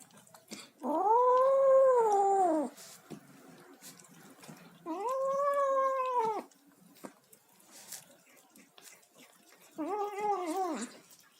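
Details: Kitten making noises while eating, indoors: three drawn-out, arched, harmonic mews, each rising then falling, spaced a few seconds apart, with faint chewing and clicking sounds between them.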